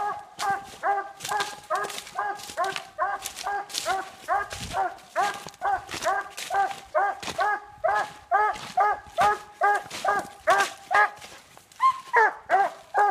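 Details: At night a treed Treeing Walker Coonhound gives fast repeated chopping barks, roughly two a second, each short and ringing; near the end one bark bends into a brief higher whine.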